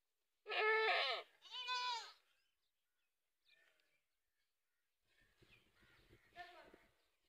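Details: A goat gives two loud, strongly vibrating bleats in quick succession, then stays mostly quiet, with faint rustling and a softer distant bleat near the end.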